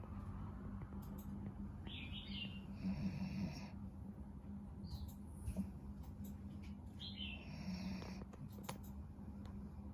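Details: Pet dog snoring during a nap: low, rough rumbling breaths that swell roughly every two to three seconds, with brief high chirps of birds outside.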